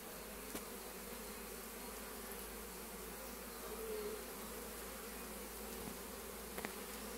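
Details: Honey bee foragers charging back with pollen, arriving in a strength said to be rare at this hour; a steady, dense droning hum of many wings runs throughout, with a few faint clicks.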